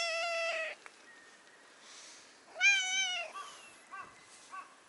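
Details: Stray brown tabby cat on a Japanese cat island asking to be let onto a lap: two loud harmonic meows, the first under a second, the second wavering and longer, then several short chirping mews near the end.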